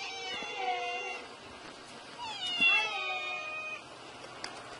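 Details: Kitten giving two thin, high meows, the first long and level, the second rising then falling, half buried in a steady hiss of background noise.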